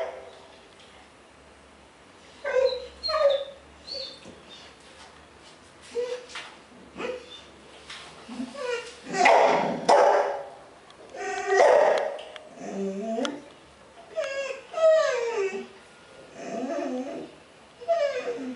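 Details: Piggy the bull terrier reacts to his reflection in his water bowl with a run of short yelping barks and whiny, rising and falling vocal sounds, repeated irregularly every second or two.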